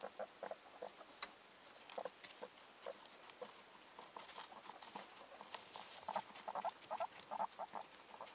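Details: Bred guinea pigs giving short, irregular squeaks, roughly two a second, amid loud rustling and crisp clicking sounds of bedding and movement.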